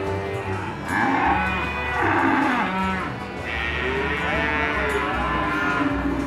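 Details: Simmental feeder bull, 11 months old, kept for fattening, giving drawn-out moos in the middle of the recording over constant background music.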